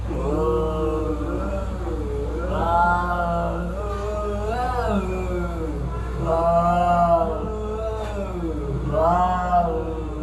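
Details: Cat fight with an almost unbroken moaning growl-yowl that swells into rising, warbling wails about every two to three seconds, over a constant low background hum.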